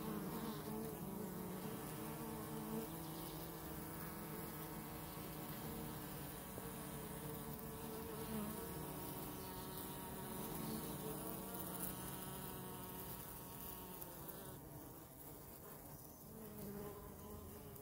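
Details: Dense, continuous drone of many honey bees heard close up, a low, even buzzing hum with strong overtones that hardly varies in loudness.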